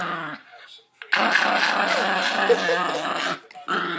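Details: Pet dog making weird growling sounds during tug-of-war play and petting; one sustained, raspy growl of about two seconds flanked by shorter grumbles, in a small indoor room.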